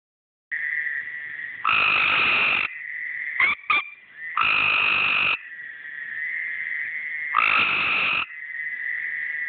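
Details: Tree frogs calling by a pool: a steady high trilling chorus with loud bursts of harsher croaking roughly every three seconds and two brief clicks in between.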